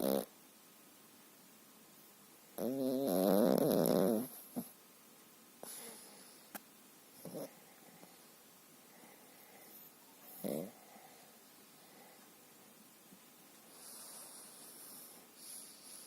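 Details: Sleeping Pekingese Dendik, a dog that snores almost daily, usually loudly; quieter this time. One strong rasping, buzzy snore burst early on, followed by several faint, brief snuffles separated by quiet stretches.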